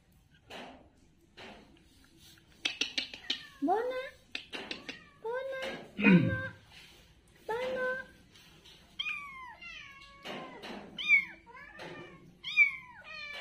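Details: Playful kittens on the ground meow repeatedly, thin high cries that slide down in pitch, some rising then falling. Bursts come in quick clusters with brief pauses, and a little human chatter sits behind them.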